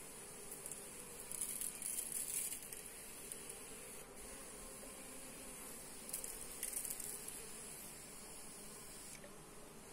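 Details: Honey bees buzzing during a hive inspection, recorded on a Xiaomi Redmi Note 8 phone: a steady, low droning hum with bursts of rustling, hissing handling noise over it.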